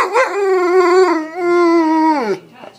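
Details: Talking dog, called a wolf, asked to say I love you, giving a long sustained howl-like vocalisation in two voiced phrases with wavering pitch, ending in a falling slide and soft breathy sounds.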